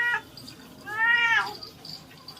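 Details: Pet cat given its weekly bath gives one drawn-out, rising-then-falling meow in a small room, followed by quiet background noise.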